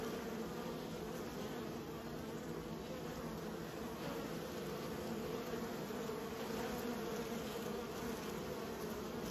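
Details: Honey bees kept by a beekeeper, a steady dense buzzing hum of many bees with bright tones near 200 and 500, continuous and even throughout without pauses, no other clear sounds.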